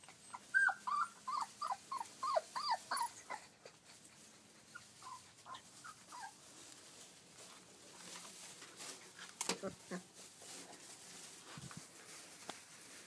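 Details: Kuvasz puppies about 20 days old give a quick run of high, thin whimpers, then fainter squeaks.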